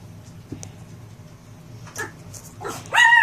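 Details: Male Pomeranian puppy giving a few soft, breathy whimpering sounds, then one sudden loud, clear high-pitched yip right at the end, over a steady low rumbling hum in the background.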